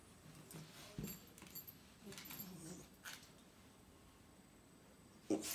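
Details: A Tibetan Terrier exposed to second-hand kief smoke gives faint, low, drawn-out whines mixed with soft snuffling breaths over several seconds, then a sudden sharper burst of sound at the end.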